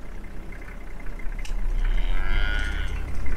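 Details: A Cape buffalo in Nambiti Game Reserve gives a deep, cow-like bellowing grunt that swells over the last second, over a steady low rumble and faint higher tones, as a young male tries to mount a female in a mating or dominance display.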